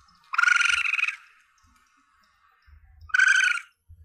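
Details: Young Asian palm civet, a recording hunters play to lure their quarry. Two harsh, buzzy squeals, each under a second, about two and a half seconds apart, with faint low thumps between them.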